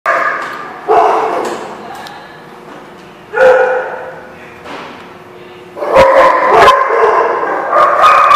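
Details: Dogs at a place called The Barking Lot, recorded on 10/21/16, give bursts of harmonic barks and yips separated by quieter gaps, with overlapping voices building into a denser chorus near the end.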